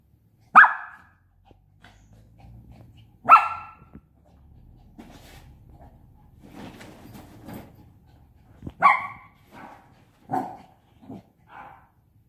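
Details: A 5-month-old Shih Tzu puppy playing with a pop-up tent gives a few sharp, high yappy barks spaced several seconds apart.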